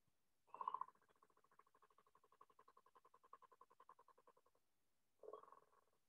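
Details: A northern leopard frog in Northwest Ohio gives a low, grouchy, creaky-door-like snore to attract females: a long rattling train of pulses between short grunting bursts.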